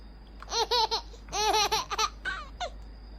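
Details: Puyonce, a poodle and former stray, grumbles to demand affection: a burst of quick, wavering, harmonic-rich syllables rising and falling in pitch, grouped into three short clusters, indoors with a faint steady hum.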